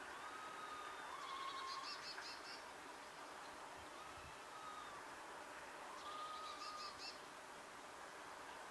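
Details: Wild red squirrels, two females, communicating from afar: smooth whistled notes that rise slightly and fade, followed by clustered buzzy, chattering pulses, the pattern repeating about twice in the span, against a constant windy background hiss.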